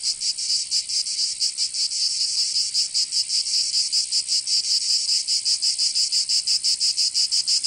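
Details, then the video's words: Provence cicadas, southern France, singing in summer: a sizzling high drone that dips and swells unevenly, pulsing slowly and irregularly with short fades every second or so. "Canto Cigarra"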